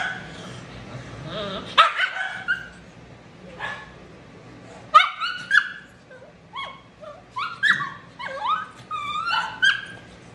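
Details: Shih Tzu, always matted and intolerant of discomfort, protesting during drying. Rising whines and high, cracking yelps come in uneven bursts, some stacked into rapid squealing runs.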